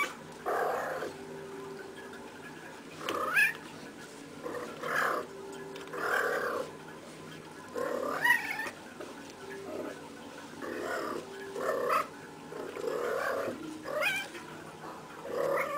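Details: Playful female cat rolling around indoors, giving a string of short chirping and trilling calls, some with quick rising whistled tones, spaced every one to two seconds.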